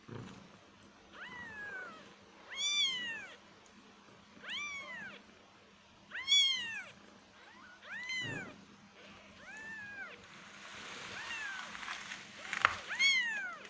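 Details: Cats and kittens meowing: clear arched meows spaced every second or two, a few louder and sharper, with soft rustling and a brief knock near the end.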